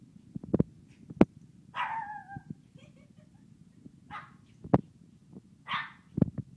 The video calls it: Kingston, the howling Shih Tzu puppy :)